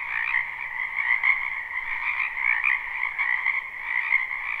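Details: Many frogs croak together in a wetland behind a house in spring, recorded live without looping; a dense, steady chorus of overlapping trills forms two continuous pitch bands, with brief louder pulses rising and falling throughout.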